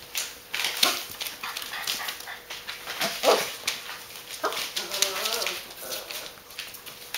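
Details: Five-week-old Great Dane puppies from a breeder's litter give a few short, wavering whiny cries, one near the middle and a longer quavering one later, amid frequent scratchy clicks, rustling and a steady high background hum.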